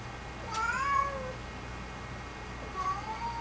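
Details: Domestic cat meowing indoors: two drawn-out, slightly wavering meows, the first longer and falling at the end, the second shorter near three seconds, over a steady low hum.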